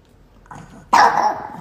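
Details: A female dog, fed up with a camera close to her face while offered a bone, gives one loud, harsh bark after a quieter low sound; a person speaks before it.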